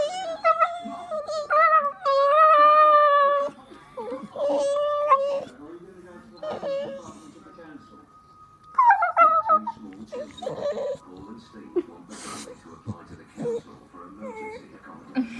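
A Staffordshire Bull Terrier whines in drawn-out, wavering high tones, asking for more belly tickling.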